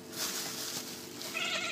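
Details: A female house cat makes a short tonal meow in the final half-second, rising slightly over a constant background hum. Soft hissy noise is also present, and a person coaxes the cat in Hebrew around the call.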